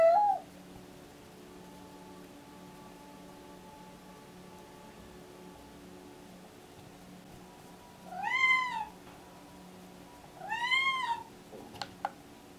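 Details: A deaf, pregnant domestic cat in pre-labor, excited and meowing constantly, gives a few clear, drawn-out meows that rise and then fall in pitch.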